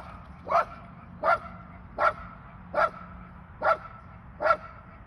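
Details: Pet Airedale terrier Lulu gives six sharp, evenly spaced barks, one roughly every 0.8 seconds, each short and loud over a low steady hum.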